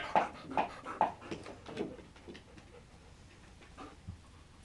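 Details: French bulldog puppies on their first day out on a leash, panting in quick breathy bursts, strongest in the first two seconds and then fading to softer, irregular puffs, with a faint whimper near the end.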